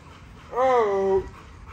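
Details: One drawn-out whine from Nyla, an XL ghost tri American Bully girl, just after a workout: a steady tone that rises slightly and then slowly falls, lasting under a second, in a quiet indoor room.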